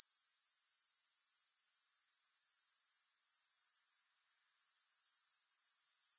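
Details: Grasshopper sound without music: a thin, high, rapidly ticking buzz runs unbroken for four seconds, dips to near silence briefly, then swells back to the same steady level.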